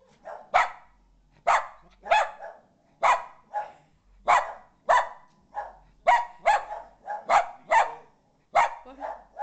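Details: A Boston Terrier freaks out, barking in sharp, loud bursts at an uneven pace, some single and some doubled, as a ball-jointed doll appears in the living room for the first time.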